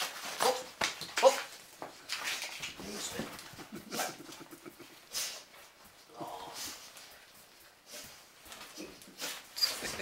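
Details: Siberian husky named Shadow greeting its owner at home after three nights away in Lapland, giving excited high whimpers and yips in quick irregular bursts, with a person talking over it indoors.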